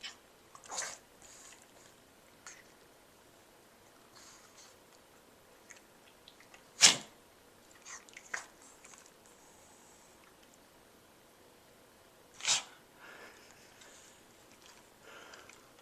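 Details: Sophia, a pet pug, having a sneezing attack indoors in a small room: two sharp, explosive sneezes about six seconds apart, with fainter snuffles and sniffs between them.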